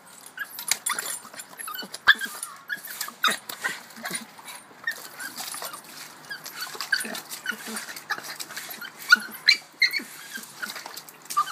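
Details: A female Boston Terrier bobbing for her ball in water whines and yips in frustration among splashing sounds, upset she can't reach it.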